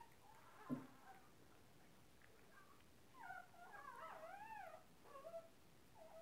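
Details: A 15-day-old Cairn Terrier puppy at a breeding kennel gives thin, wavering whimpers that rise and fall in pitch.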